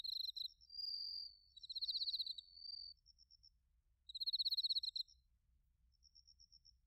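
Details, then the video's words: In autumn at Narita, Chiba, Japan, bell crickets and crickets chirp, taken on a TASCAM Portacapture X8: overlapping pulsed trills and a smoother tone early, then a loud pulse burst near four seconds, with faint high ticking chirps. "秋の音 スズムシとコオロギの鳴き声 - Sounds of autumn, chirping of crickets and crickets"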